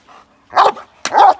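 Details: Male Cane Corso during k9 response protection training in London, UK: two deep, harsh barks about half a second apart, each a short loud burst, with a quiet background.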